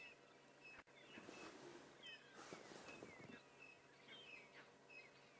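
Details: Monkeys give harsh, rapid alarm calls in a burst, with thin bird chirps above, on safari; a hyena follows the calls towards them, possibly hoping to scavenge a kill, while the monkeys keep alarm calling frantically toward thickets.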